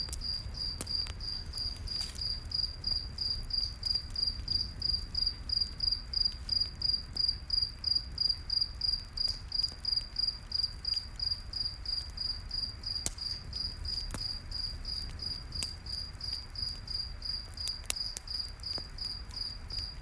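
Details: Crickets in a night forest beside a campfire: a steady, high-pitched chirping pulses on without a break for the whole stretch, with sharp pops and crackles of burning wood and a low rumble of the fire underneath.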